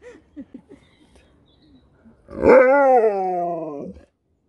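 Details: Sherpa the dog in the UK vocalises at people who answer him: soft murmurs, then a clear, tonal, howl-like cry about one and a half seconds long that holds steady and slowly slides downward before stopping.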